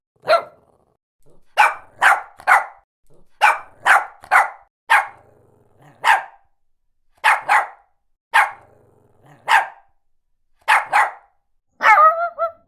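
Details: Shih Tzu barking steadily in loud bursts, many in rapid pairs or triplets, ending with a more tonal, whining bark near the close.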